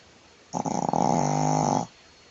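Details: A sleeping female Shih Tzu named Jade, lying belly-up, produces one loud snore of about a second and a half: a quick fluttering start settling into a dense, steady, vibrating drone, then silence.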